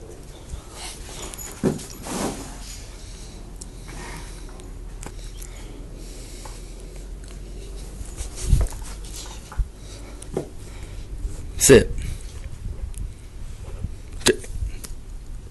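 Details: Mastiff named in connection with Dallas, filmed on an Android phone: scattered short snorts and soft whimpers at irregular intervals, with a brief higher whine near the end, over steady low background hum.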